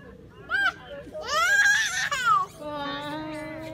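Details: A baby monkey that has lost its mother calls to her while she stays at the top of a tree, calling until she comes down. A short high cry is followed by a longer, loud, wavering harmonic scream, then a steadier lower tone.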